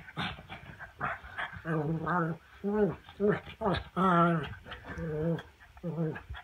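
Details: Black pug called the prince during a chin-grabbing play game, giving a run of short, voiced grumbling whines, some rising then falling, in quick bursts over several seconds, with a person's voice mixed in.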